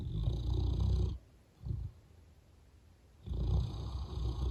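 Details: Gunther, an English mastiff, snoring: two deep rattling snores, each about a second long, separated by a quiet pause with a brief soft breath, in a quiet indoor room.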